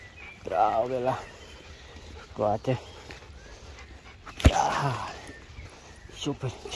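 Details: Shiba Inu dog giving short bursts of wavering, wobbling whine-like vocalization, rising and falling in pitch, with pauses between bursts, a sharp knock midway, and people talking nearby.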